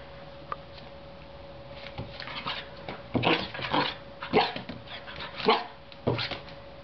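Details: Groenendael puppy Leo on his first day in a new home, playing with a dangly spider cat toy: a loose series of short yappy barks and whimpery bursts, about one each second, mixed with household noise and a constant faint hum.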